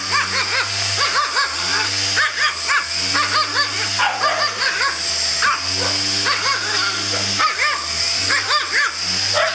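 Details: A white Pomeranian confronting a vacuum cleaner gives repeated sharp, high yapping barks that rise and fall in pitch, coming in quick bursts over a steady droning hum that runs through the whole recording.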